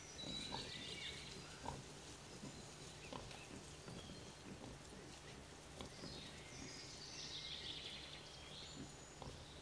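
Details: Wild boar group in the Veluwe, Netherlands, as a sow suckles while five motherless piglets try to drink and are chased off. Soft, low grunts come in irregular bursts, with high bird chatter and steady outdoor noise behind.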